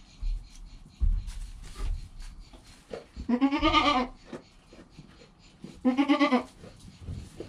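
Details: Joel, a goat kid less than an hour old, beside his calm mother Penny, filmed with a GoPro: two clear, wavering, nasal bleats about three seconds apart, each under a second long, between soft shuffling and bumping noises.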